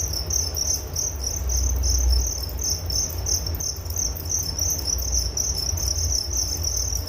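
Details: Nature sound of crickets for bedtime relaxation: a high, rhythmically pulsing trill continues throughout, set against a noticeable low rumbling drone.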